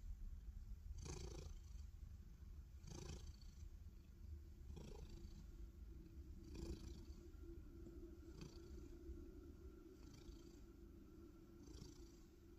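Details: Black cat purring loudly while lying belly-up as if setting a belly trap; a steady low rumbling drone with a brighter breathy swell roughly every two seconds.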